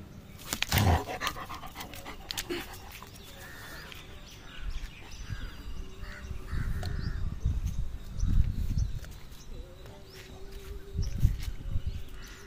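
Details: German Shepherd dog playing with a rope, heard as low, breathy panting and huffing bursts that come in uneven waves, with a sharp knock near the start and faint rustling throughout.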